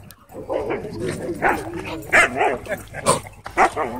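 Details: A pair of Siberian Huskies wrestling in a play fight at a dog park, trading gravelly growls and rough, harmonic bark-yowls in quick bursts, some rising and falling, with scuffling noise throughout.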